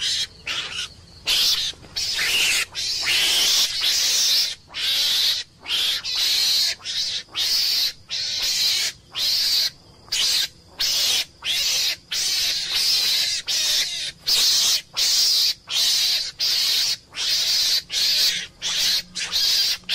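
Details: Meerkat (Suricata suricatta), a small mongoose, giving harsh, hissing screams in rapid bursts, each about half a second long and repeated with short gaps.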